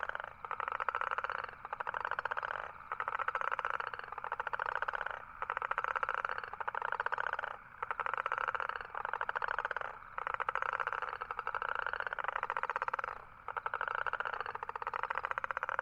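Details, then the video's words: Long run of toad calls: rapid, rattling pulsed trills repeated about every one and a half seconds, around eleven bursts with short silent breaks, and nothing else audible. "Toad Sound."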